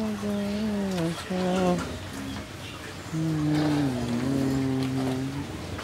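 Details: Jersey cow kept with her bull calf in Bangladesh, having calved for the second time; two long, steady, low moos, the first about two seconds, the second more drawn out, with faint voices and background hum.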